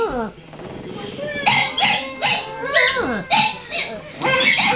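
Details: Female pet dog joining in with playback of her own howls: a falling whine at the start, then short wavering howl notes, some sliding upward and downward, mixed with the recorded howling.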